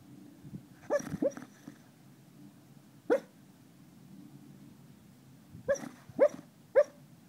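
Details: Sleeping dog barking during a dream: a burst of two or three muffled yips, a single woof after a pause, then three more short yelping barks in quick succession, over a low indoor background hum.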